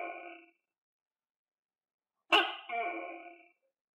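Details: Tokay gecko kept and fed crickets, recorded calling: a loud barking two-part note with a sharp, clicky onset and a longer, nasal, harmonic second syllable. It follows the clipped tail of an earlier call and a silent gap, in a quiet room.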